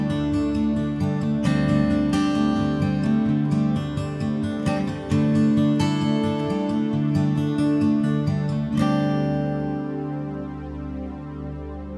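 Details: Only soft acoustic guitar music is heard, with gently plucked and strummed notes fading out at the end and no animal sounds.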